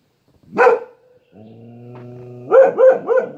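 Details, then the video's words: A dog barks at distant passers-by to defend its home: a single sharp bark, a short silence, a low sustained howling tone, then three quick, loud barks in a row. "Loki Defends Home... from passers by far off in the distance."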